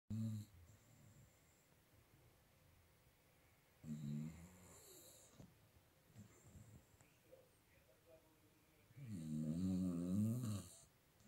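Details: Staffordshire Bull Terrier named Bek, lying comfortably, snoring: low rumbling breaths in bursts at the start, around four seconds and a longer, louder stretch near the end, with quiet pauses between.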